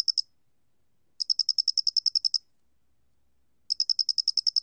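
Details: High, rapid ticking of a square-headed cricket from a 2020 National Institute of Biological Resources recording: a dozen-pulse trill, a long pause, then another burst begins, with no background noise.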